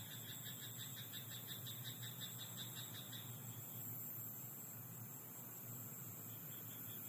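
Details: Croaking frog at night in a rice paddy: rapid pulsed rattling for the first three seconds, then only a steady shrill insect hum and a low rumble like distant vehicles remain.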